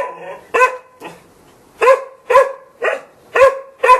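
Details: Steady barking from a Golden Retriever: a short burst, a pause, then five loud, evenly spaced barks about every half second.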